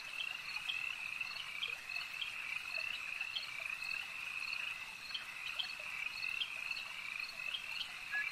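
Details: Chorus of frogs at a lake, a continuous high-pitched trilling drone dotted with short sharp croaks from individual callers, steady and without pauses.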